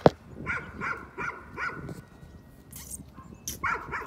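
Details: Nuisance barking by a dog: a short, evenly spaced series of four barks, then a gap with a few clicks and hisses, then one more bark.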